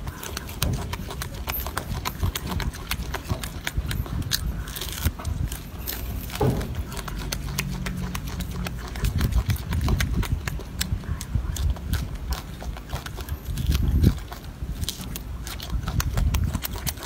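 A golden monkey chews noisily, with steady crunching and smacking clicks.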